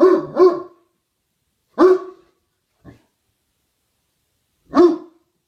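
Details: Evening barking from a male dog, a few hours early for the twilight bark: a quick double bark, then single loud barks spaced a second and three seconds apart, with silence between.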